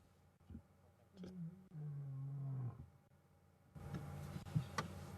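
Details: Ginger Matimba, a wild male lion, roaring on an April 4 afternoon safari drive as he comes very close to the vehicle: a deep, drawn-out moaning roar lasting about a second and a half, followed by rumbling vehicle noise.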